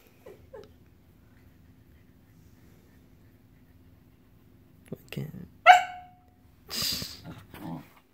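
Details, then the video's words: Samoyed protesting as her owner pets the golden retriever sibling rather than her: soft huffs, then a sharp, whiny bark with a falling tail, followed by breathy grumbling and a few words from a person. "Samoyed dog protests mom petting golden retriever dog sibling and not her"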